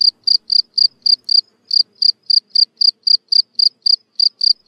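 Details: Field cricket singing in a neglected lawn: a steady series of short, high, pure chirps, about three to four per second, with one brief gap and no other sounds.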